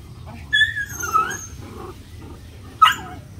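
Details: Puppies at play give three short, high whining yelps, the first and last sharp and bending downward, the middle one softer, spaced over about three seconds above a low steady indoor hum.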